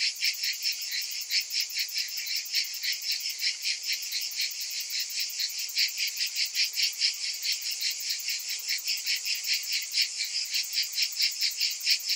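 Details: Many cicadas buzzing in summer, a bright, sizzling high drone with clear pulsing swells roughly every half second, steady in strength throughout.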